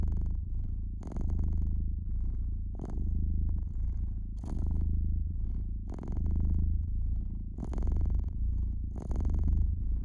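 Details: Domestic cat near a crackling fireplace, purring in a soft, deep, unbroken drone with gentle rises and falls, and scattered sharp snaps from the burning wood.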